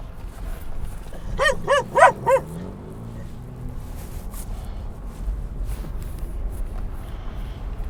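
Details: Dog barking at other dogs near a San Diego dog park at sunset: a rapid run of four ringing barks, then steady low engine and road rumble with faint voices.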